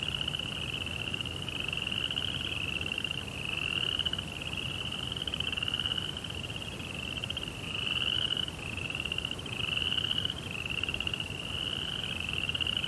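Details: Crickets chirping at night in a Japanese Zen garden: a steady high, pulsing trill that swells and eases in waves every couple of seconds, over a low, soft background rumble.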